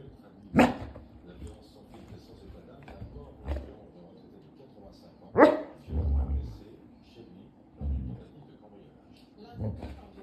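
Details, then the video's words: Basset Hound dog in France, December 1, 2023, eager to play with the household cat: two loud, deep barks about five seconds apart, with softer low huffs and thumps between them and voices in the background. "Basset Hound Wants to Play With Cat"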